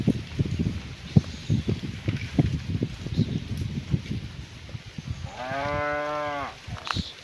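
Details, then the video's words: Afternoon scene of cows being driven back to their barn: a few seconds of scuffing hooves and thuds, then a single level, resonant moo lasting just over a second as a cow calls its companions. "The Sound of Cows Calling Their Friends"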